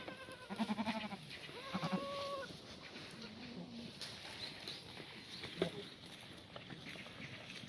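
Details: Korean black goats at a Gimhae farm in South Gyeongsang, Korea, on a sunny Sunday morning in late March 2019, with the exercise-yard water trough frozen. Three wavering bleats follow one another in the first four seconds, then quieter rustling.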